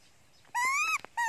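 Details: Young pet monkey, said to be very hungry for its mother, crying loudly: a high, tonal screech rising slightly over about half a second, then a second cry starting near the end.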